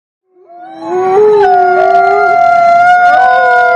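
Wolves howl together, long smooth tones rising and holding steady as voices overlap.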